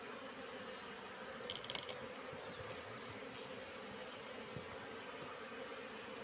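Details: Wild Apis cerana colony moving into a trap box set out three months earlier: a faint, even droning hum throughout, with a brief rattling flutter of clicks early on.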